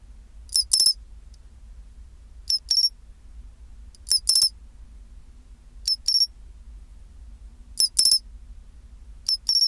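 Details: Chin-chiro-rin song of a pine cricket at 24°C: paired, high tinkling chirps repeated roughly every two seconds in a steady rhythm, quiet hum beneath.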